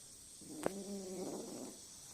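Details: A talkative house cat indoors, where a tiny kitten nearly hit by a car downstairs has just been rescued, gives one soft, low, harmonic meow lasting about a second. A faint steady background hum runs throughout.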